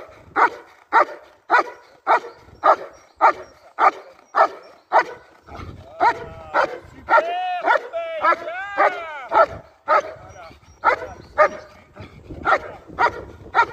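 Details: German Shepherd in IGP competition training barking in a steady rhythmic series, nearly two barks per second, with a stretch of higher whining, yelping calls in the middle before the regular barking resumes.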